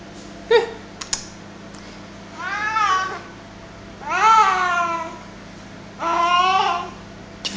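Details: Male house cat playing tug of war with his favourite duster, making weird noises: three drawn-out, wavering harmonic yowls about a second long, each bending up then down, with brief clicks and knocks between them in a small indoor room.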